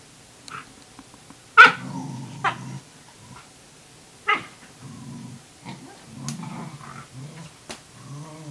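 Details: Wave, a Tamaskan puppy, tries to establish dominance over a Norwegian Elkhound's food: low rumbling growls in repeated bursts, broken by two sharp barks early on, then more grumbling growls and short higher whines toward the end.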